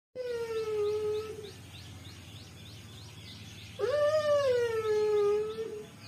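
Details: A Kombai dog whining: a long, steady, nasal whine fades out, then after a pause a louder one begins with an upward swoop and holds a wavering tone for nearly two seconds.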